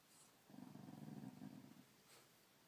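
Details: Dog growling indoors; a low, steady rumbling growl lasting over a second, with faint clicks before and after in a quiet room.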